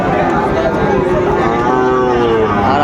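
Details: Sahiwal bull calves at the Raniganj cattle market in Chattogram, on Thursday 26 September 2024: overlapping, drawn-out tonal moos from several animals, steady and level, over constant crowd chatter.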